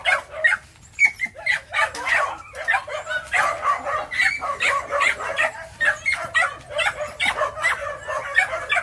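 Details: Phu Quoc puppies aged three to four months, kept at a kennel in Saigon, Vietnam, excitedly yapping while hunting rats; quick barks follow one another almost without pause.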